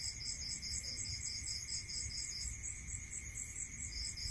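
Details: Crickets at night in a rural area, their quick rhythmic pulsed chirping repeating steadily in two high bands, with a short break before it resumes. A continuous ringing tone and low rumble fill the background.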